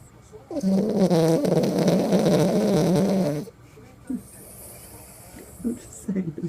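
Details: Toy poodle asleep, giving a long raspy, buzzing snore of about three seconds with a rough, wavering low tone, followed by quiet breathing noises and small soft clicks, a faint high hum in the background.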